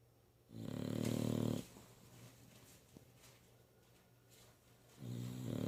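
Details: English Bulldog snoring, with a loud, low, rasping snore lasting about a second, then a quiet stretch before the next snore begins about four seconds later.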